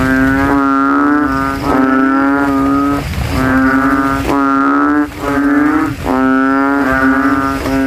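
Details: Several banded bullfrogs vie to be loudest from a puddle in a cemetery on a night after rain, throats inflated; long resonant bellowing moans, each over a second long, nearly continuous with brief gaps, six in all.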